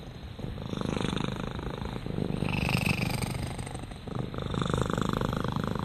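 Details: Domestic cat named Rama purring in a low, even rumble that rises and falls with each breath, rapid fine pulses throughout, a brief dip about four seconds in.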